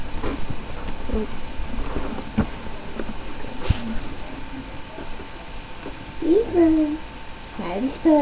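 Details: Newborn puppy from Miley's litter of five, born last night, squeals in brief wavering whines with rich overtones near the end, two bursts about a second apart, after a quiet stretch with faint squeaks and a soft voice in the background.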